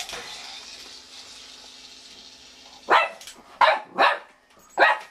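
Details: Pet dog filmed at home while another person makes noise in the background; after a quiet stretch with a faint hum, four sharp, loud barks come in quick succession over about two seconds.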